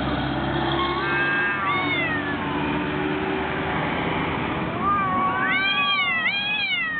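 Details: Two cats fighting: drawn-out descending yowl early on, a quiet stretch, then a run of loud arching wails that swoop up and down, repeated several times, over a low constant rumble.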